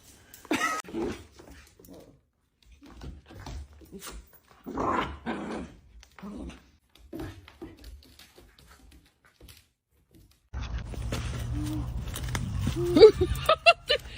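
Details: Pet dog indoors growling and giving short gruff barks in irregular bursts over about ten seconds, with pauses between, followed by a louder stretch of broad background noise and clattering at the end.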